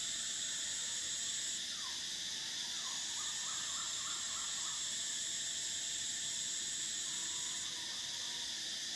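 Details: Summer cicada chorus: a steady, shrill high-pitched drone with layered continuous buzzing bands. The top band cuts out briefly near the start and again near the end. Faint short chirping notes flicker in the background mid-clip.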